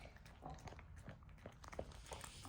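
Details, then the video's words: Puppy chewing its food indoors: a dense run of quick, moist crunches and smacking bites with a few louder clicks near the end. "Sound of puppy eating"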